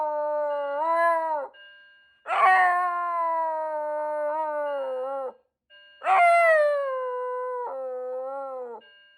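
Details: A Shiba Inu howls and screams in response to a fire alarm. Three sustained, wavering screams of one to three seconds each come with short pauses, over a faint constant electronic beep tone.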